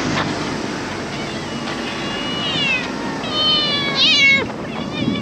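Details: Stray cat in Japan, late July 2023, giving two drawn-out meows that slide downward in pitch, the second longer and wavering, over a steady background hiss with faint rustling.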